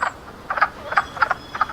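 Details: Male wood frogs in a fish-free vernal pool calling at or just below the water surface with two vocal sacs beside the face to attract females. Duck-like clucking croaks, about five short double-pulsed notes in under two seconds.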